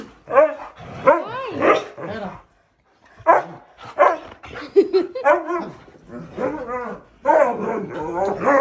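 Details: An angry 11-year-old male Siberian Husky, kept as a pet at home, scolds his owners on their return for leaving him. He gives loud, wavering, harmonic yowls and howl-like 'talking' phrases in bursts, with a short silent pause partway through.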